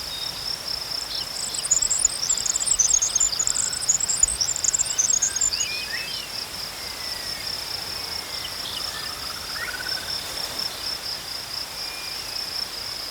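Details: Crickets chirping in a steady, high, continuous trill. Brief bursts of even higher chittering run over the first six seconds, and faint sliding bird whistles sound further off.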